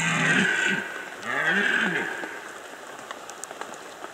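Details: Rutting red deer in the Bieszczady mountains, Poland, autumn 2015: two deep, rough, groaning roars, one brief and one lasting about a second with arching pitch, then fading into a soft, rain-like crackle.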